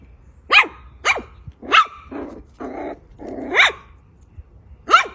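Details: Poodle barking in a short series of five sharp, high barks at uneven gaps, with hissy, noisy rasps between them.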